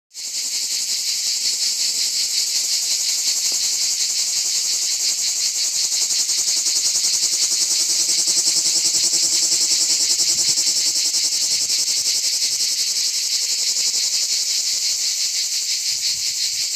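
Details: Plebeian cicadas (Lyristes plebejus) sing on an olive tree in an organic olive grove, a loud, steady, high-pitched buzzing drone that barely wavers.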